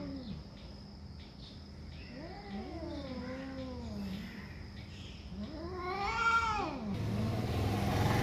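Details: Cats fighting over territory, quieter here: low wavering moans give way to one louder arching wail. A rushing noise fills the final seconds.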